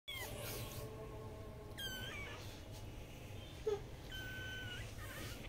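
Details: Blue-eyed Persian kittens mewing: two short, thin, arched meows about two seconds apart, each rising then falling, over a quiet indoor hum.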